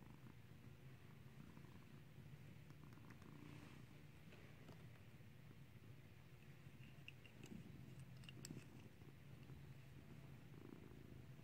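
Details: Skittles, a clicker-trained cat taught to ring a bell, purrs in a long, deep and unbroken rumble, joined by a few light clicks and taps partway through.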